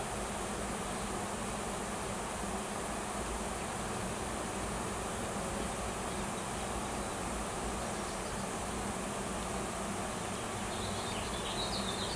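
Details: Swarm of wild honey bees with a new queen, searching for a new nest, massed at a tree on a farm in Washington; a long, constant, low droning buzz, with a brief higher faint tone near the end.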